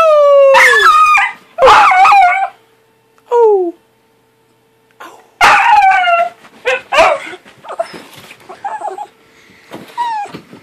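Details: Happy puppy named Bentley howling while wagging his tail: several drawn-out, falling, harmonic-rich howls of about a second each, broken by short yips and whimpers, with a faint steady background hum.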